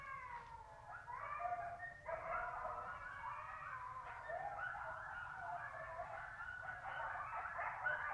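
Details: Chorus of a wild wolf pack at night near a lake, under 100 m distant, captured by cellphone: dense overlapping howls mixed with wavering yips and quavering higher notes, building into a busy group chorus.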